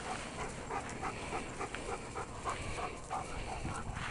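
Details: Lewis, a male sable working-line Czech German Shepherd, runs and jumps in the yard; quick rhythmic breathy pants come about three per second over steady broadband background noise.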